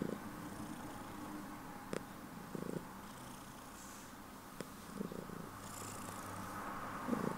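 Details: Domestic cat purring loudly just before bedtime, a soft low rumbling pulse running steadily through the clip, with faint brief rustles and a few sharp clicks.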